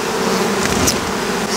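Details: A strong Western honey bee colony at an apiary hive that held three honey supers, with an extracted super added on top; steady loud humming drone, a few brief higher whines from passing bees.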